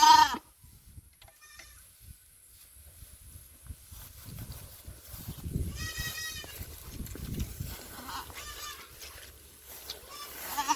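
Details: Goat on a small Philippine mini farm where a pet kid may have been bitten by a cobra; two wavering, harmonic bleats, one short and one longer and quavering, over low rumbling handling noise and faint background sounds.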